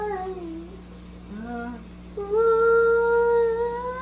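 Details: English bulldog singing in a small room: a falling moan, a brief low note, then a long steady held tone that swells and slightly rises, with a constant low hum behind.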